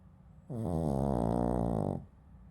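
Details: A loud, rattling snore from Genki, a Shih Tzu dog fast asleep: one steady, buzzy, pulsing breath lasting about one and a half seconds, then quiet.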